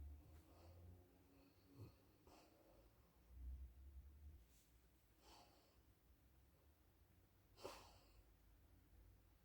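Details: Female Alaskan Malamute asleep in a bed indoors, letting out a string of soft wheezy breaths and short snorts, ending in one sharper, louder snort; room otherwise quiet with a low hum.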